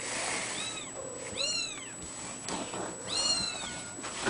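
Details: Ragdoll kitten named A-chan giving three high, arched meows with rich overtones, spaced roughly a second apart, the last one longest, over a quiet room with a constant thin high-pitched whine.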